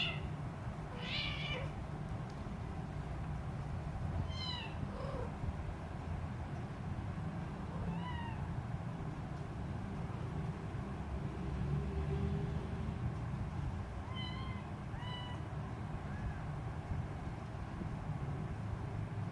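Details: Hungry three-week-old Siamese kitten with blue eyes, crawling about and teasing her mother cat, gives high, wavering meows singly and in pairs, about six spread across the stretch, over a steady low rumbling hum.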